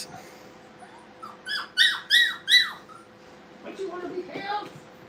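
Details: Brittany puppies at play in a training kennel give three loud, high squeaky yelps that drop in pitch, spaced about every third of a second, followed by softer whining squeaks, with a steady low hum underneath.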